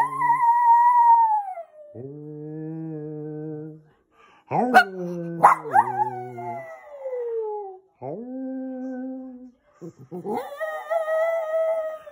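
A Lhasa Apso howls in long, wavering, sliding notes, trading phrases with a lower human hum.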